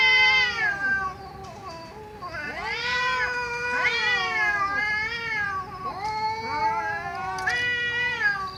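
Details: Cats meowing loudly, drawn-out rising-then-falling meows and caterwauling cries, several overlapping, strong and continuous across the whole stretch.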